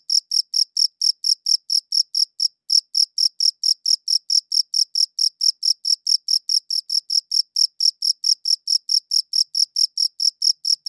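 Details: High, shrill cricket chirps recorded with a good audio recorder, rapid evenly spaced pulses with one brief pause partway through, otherwise continuous and clean against silence.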